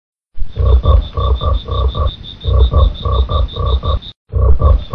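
A frog gives deep, pulsing croaks in quick runs, with a thin steady whine high above.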